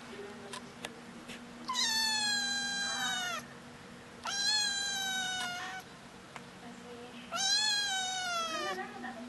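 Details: Attention-seeking kitten giving three long, loud, bright mews, each over a second, separated by pauses of about two seconds, over a low background hum.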